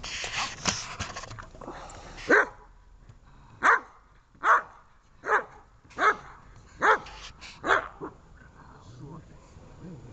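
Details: Dobermann in protection training, giving a steady run of about eight sharp barks spaced roughly a second apart, with some noisy sounds at the start.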